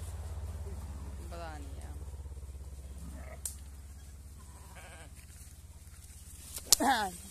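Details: Rams (male sheep) fighting, with short wavering bleats: one near the start, a fainter one mid-way, and a louder shaky bleat near the end, over a steady low hum and a man talking.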